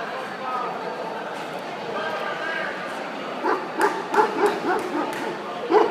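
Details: At the 2013 World Dog Show, a minor-class Central Asian Shepherd puppy starts a quick run of sharp, high yips after a few seconds of crowd hubbub, about six yelps in just over two seconds.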